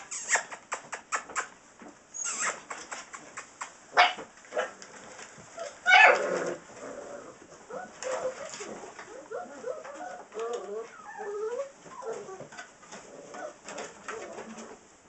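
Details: Six-week-old Saint Bernard puppies from Ripley and Justice: sharp clicks and knocks open the stretch, then a run of short, wavering whines and little yips follows in quick, irregular succession.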